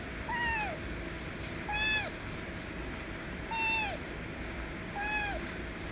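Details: White kitten meowing loudly to demand affection: four clear, harmonic-rich meows, each arching up then falling, spaced about every one and a half seconds against a low steady background hum.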